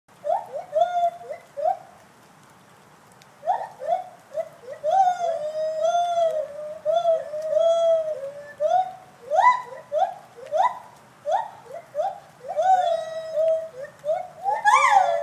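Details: Gibbons howling in captivity at a college zoo in Gainesville, Florida: a series of rising and falling hooting notes, each sweeping upward, building into faster, higher whoops in loud bursts with brief pauses between phrases.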